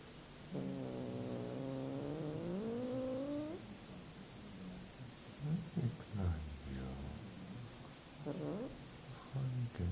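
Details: Domestic cat giving a long drawn-out meow that rises at its end, followed by several short chirping mews, with low rumbling noise underneath.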